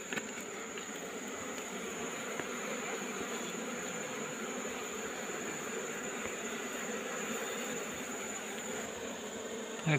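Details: Buzzing of a wild Asian honey bee colony disturbed as combs are removed from a rock cavity in the afternoon: loud, dense, unbroken humming drone, slightly rougher and brighter, with faint human voices.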